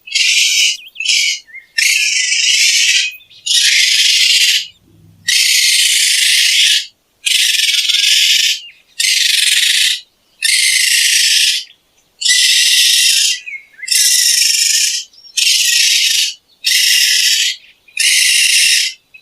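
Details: Raccoon screeching repeatedly, about a dozen harsh, hissing bursts of roughly one second each, following one another at a steady pace with brief gaps.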